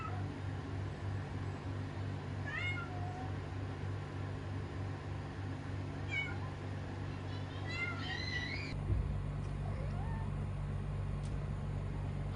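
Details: Kitten mewing indoors: three high, short meows spaced several seconds apart, each bending down in pitch, over a steady low hum, with a soft faint squeak near the end.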